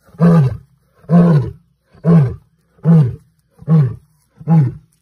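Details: Angry lion at a farm house giving a run of six deep, short grunting roars, evenly spaced a little under a second apart, each rough and low with a falling end.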